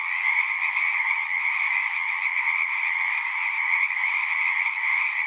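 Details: Pond frogs in a horse pasture singing together, taped on a Zoom 6: a thick, constant mass of shrill trilling voices, steady in loudness from start to end.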